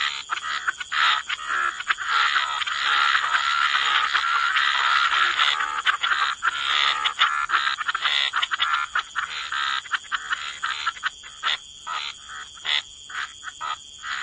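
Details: Waterside frogs croaking in a thick, continuous chorus of raspy pulses that later breaks into distinct rhythmic bursts, with a steady high-pitched hiss throughout.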